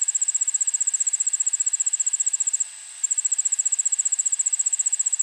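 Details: Allard's ground cricket singing, suburban backyard, Montoursville, Pennsylvania, 9 August 2016 at 1 pm: piercing high trill of fast, evenly spaced pulses, interrupted once by a short gap of under half a second.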